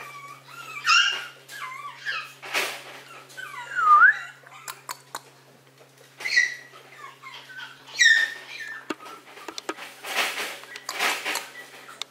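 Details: Maltese dog out in warm sunlight: high, sliding whines and squeaky yelps come in separate bursts a few seconds apart, some rising sharply in pitch, with quiet gaps and a light background hum.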